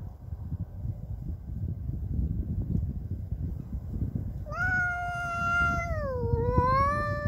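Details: Domestic cat defending its territory against an intruding neighbour's cat: low rumbling background noise at first, then a loud drawn-out yowl that holds level, bends downward, and rises again toward the end.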